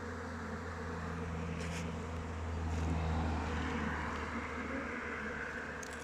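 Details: Honey bees flying around their hive in open weather: a steady, low, droning hum of many wings with layered tones, swelling a little near the middle, broken by a few faint ticks.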